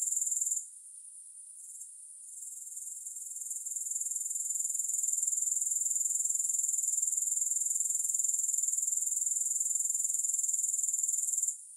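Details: Shrill grasshopper trill breaks off soon after the start, resumes softly, grows to a steady rapid pulsing buzz for several seconds, then falls quiet again at the very end; no music.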